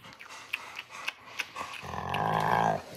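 A Rottweiler gives a drawn-out, rumbling growl that sounds like an alligator's bellow.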